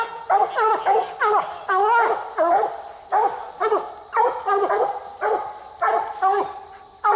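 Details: Coonhounds baying at night during a raccoon hunt, on the second raccoon of the night: loud, harmonic bawling bays with bending, falling pitch, repeated in quick bursts roughly every half second, two dogs calling over each other.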